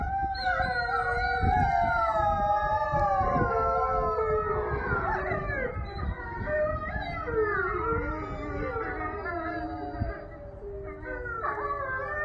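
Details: Wolf pack howling together in the evening to end the day: many overlapping voices rise, fall and waver in long gliding tones, some higher and yipping, forming a dense continuous chorus.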